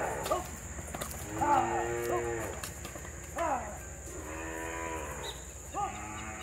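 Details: Dairy cows on a small-scale farm during separation of the calves: several loud, harmonic moos, some long and level, others short and falling, follow every second or so over a faint steady hum.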